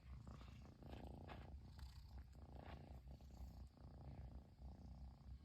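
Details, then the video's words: Long-haired Persian kitten, excited that its owner has finally returned home, purring continuously in a low, throbbing rumble with an even in-and-out rhythm. "飼い主がやっと帰ってきてぐる音が止まらない子猫🐱purling kitty"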